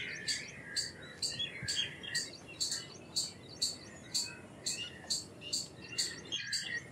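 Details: Indian palm squirrel calling with short, sharp, high chips repeated about twice a second in an uneven series. Softer twittering birds sit lower in the background.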